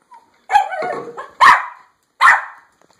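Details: Dog keen to get outside letting out three loud yaps, the first stretched into a short whiny tail, the others sharp and clipped, roughly three-quarters of a second apart.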